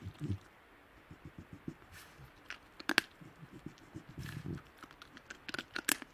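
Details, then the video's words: Wild Tasmanian devils in the Tasmanian bush growl in low, stuttering pulses while feeding. Sharp cracking crunches of chewing punctuate the growls throughout. "Tasmanian Devil Sounds - Growls & snarling calls from wild devils in the Tasmanian bush"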